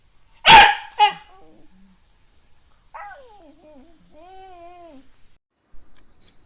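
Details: A Shiba Inu beside a crab gives two sharp barks half a second apart, followed by drawn-out wavering whines that fall and then hold steady.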